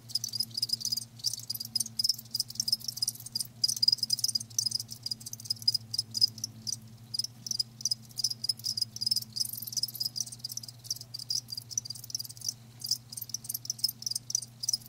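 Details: Live crickets chirping in a dense, high-pitched shimmer of rapid pulses, many overlapping callers without pause, over a steady low electrical hum.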